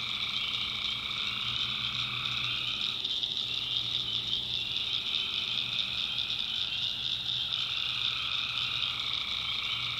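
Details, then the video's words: Swamp at night in backwoods North Carolina, full of tree frogs: a thick, constant high trilling chorus, some voices pausing and resuming every few seconds, with a soft low hum underneath. "Relaxing Swamp Sounds at Night - Frog Heaven - Frogs"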